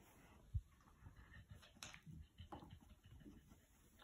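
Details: Ozzie, an always-hungry pet bulldog, indoors between strawberry treats: low, rough snuffling pants and snorts in an uneven string, with one sharp thump early on and quiet room background.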